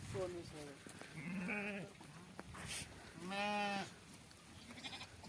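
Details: Sheep at milking time: a short quavering bleat early on, then a longer, fuller bleat near the end, mixed with men talking and shouting nearby.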